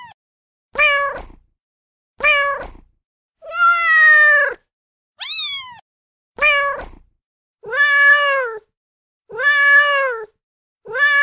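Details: Kittens meowing in a varied series: some short and clipped, others long, drawn-out and wavering, plus one thin rising-falling squeak, at irregular intervals with clean silence between.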